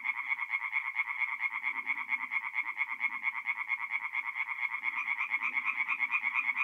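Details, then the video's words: Chorus of tree frogs singing at night at a forest pond in mid-April in north-eastern Italy: dense overlapping rapid pulsed notes, several per second, forming a continuous bright rattling band with faint low croaks beneath. "relaxing forest pond by night with singing tree frogs"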